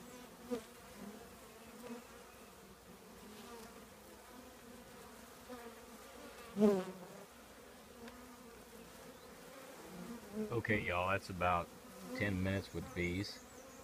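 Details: Honey bee colony in an old trash can giving a continuous low hum with occasional knocks; a human voice speaks over the drone toward the end.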